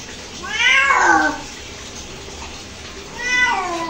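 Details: Domestic cat reacting to being bathed indoors, giving two drawn-out, falling harmonic meows about two and a half seconds apart, the first longer and louder.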